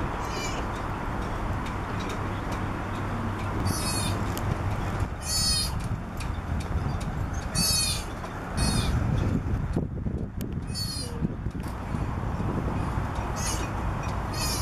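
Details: Three-week-old southern sea otter pup, born around January 15, on the back of a boat in Monterey, California, crying for its mother; short high harmonic squeals recur every few seconds over a steady low rumble of engine-like noise.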